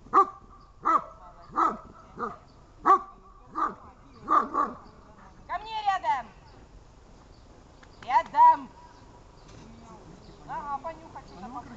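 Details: Dog in protection training giving rapid short barks for about five seconds, then a few higher strained yelps and whines, with a person speaking faintly in the background.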